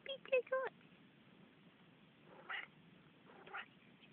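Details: Manx cat chattering indoors: three quick bright meows in a row, then two softer, breathier calls a second apart, with faint household hum and a woman's quiet voice.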